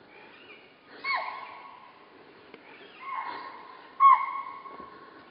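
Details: A chital at Kanha gives shrill, whistle-like barks, each dipping slightly in pitch, spaced a second or two apart.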